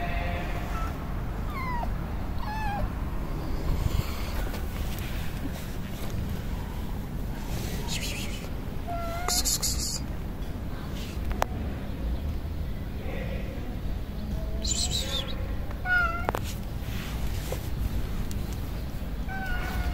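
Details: Stray ginger kittens on a street in Morocco, approaching for food and affection, give several short, thin meows that bend up then down, scattered across the clip over a steady low rumble of traffic and occasional voices.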